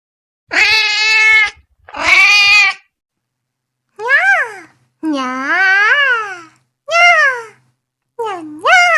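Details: Cat calling with two loud, harsh, buzzy meows, then several swooping meows that rise and fall in pitch, some long and wavering; a faint low hum in the background.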